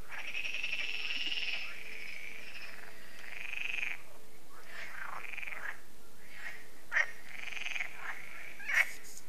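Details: Frog chorus at Lac de Sabatte, a lake in France, in the evening as solar lights come on, an annual event: overlapping drawn-out rasping croaks, with a few sharper pulsed calls toward the end.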